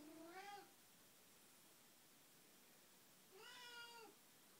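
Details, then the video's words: Early-morning wake-up meowing at 6 am from Betty, a pet cat with Alzheimer's: two long, bending meows about three seconds apart, with near silence between them. "Betty says Meow"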